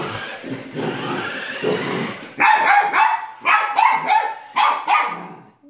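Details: Poodle going wild with excitement at a remote control car: after about two seconds of whirring, rattling motor noise, a string of five sharp, loud, mid-pitched barks in quick succession.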